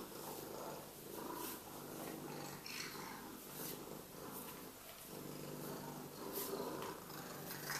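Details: Sphynx cat showing morning affection, purring close up: a steady, rough, low rumbling drone with soft rustling and brushing noises over it throughout.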